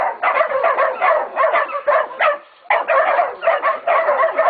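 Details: Young Catahoula and Black Mouth Cur pups baying a pig at Golden Creek Catahoulas Kennel; bursts of quick overlapping barks and yips, broken by one short silence before the racket resumes.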